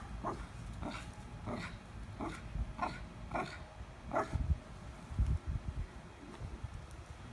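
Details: Dog eager for a squirrel up a tree, giving faint, short, muffled yelps repeated steadily about every two-thirds of a second, then rustling and low thumping sounds near the end.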